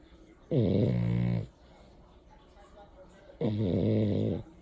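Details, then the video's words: French Bulldog snoring: two long, loud, rasping snores about three seconds apart, each roughly one second with dense buzzy harmonics, quiet breathing between. "French Bulldog Jordan Snoring"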